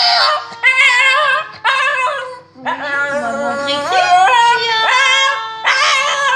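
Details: Shih Tzu dog 'singing', giving a run of long wavering howls in high harmonic tones, each held about a second with short breaks between, a steady low tone running beneath.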